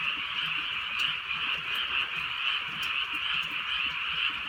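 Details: Frogs croaking on a rainy countryside night under light drizzle: a dense, unbroken chorus of many callers forms a steady mid-high trilling wash that pulses gently, with faint scattered ticks of rain.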